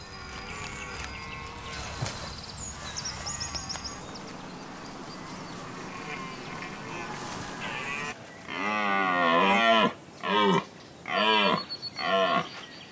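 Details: Red deer stag roaring as a challenge to rivals during the rut; a bigger stag gives a deeper roar. After a stretch of music and faint sounds, a series of loud, wavering, harmonic roars comes in four bursts over about five seconds.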